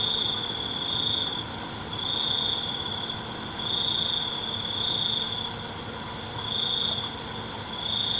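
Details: Night crickets give a high, steady trill that swells in longer bursts roughly every one and a half seconds, set against a continuous shrill insect chorus and faint low rumble.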